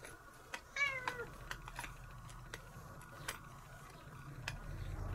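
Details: Nora, a cat being brushed at home, gives one short descending meow near the start, followed by scratchy brushing and soft clicking sounds with a low rumble.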